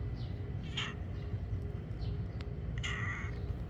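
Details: Silver tabby-and-white kitten giving two short, bright meows about two seconds apart over a steady low indoor hum.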